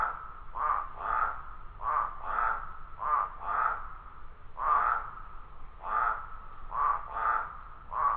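Toads call in harsh, nasal croaks, often doubled, over a steady faint chorus.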